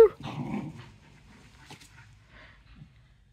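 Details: Pet whippet in a backyard growling while hiding his treat: a short, low, rough growl at the start, then softer rustling and faint low murmurs.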